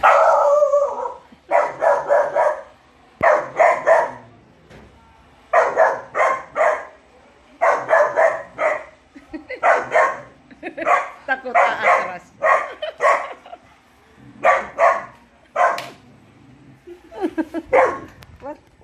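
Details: Labrador Retriever puppy named Jack, in beast mode reacting to a prowler trying to invade his turf, barks in loud, sharp bursts, often in pairs or short runs, separated by brief pauses throughout, with little else audible.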